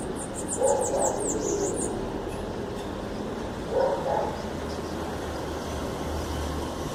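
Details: A two-year-old male black-and-white cat gives two mid-pitched, drawn-out meows a few seconds apart, wanting the attention of his mother, a tuxedo cat.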